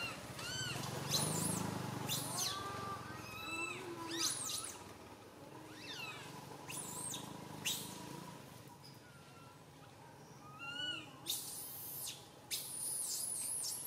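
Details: Baby monkey Santo cries loudly on a tree branch while his mother Sara cannot care for him; shrill screeches and arched, whining wails repeat irregularly over a low rumbling background, with piercing high squeals near the end.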